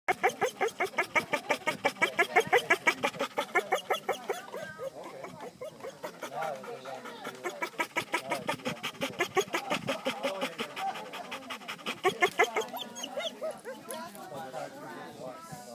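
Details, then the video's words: Saydee, a pet dog, excited and wanting to greet all the people at a party, making silly noises: rapid rhythmic panting-like huffs mixed with whiny, squeaky vocal sounds, with people talking in the background. "Saydee making silly noises"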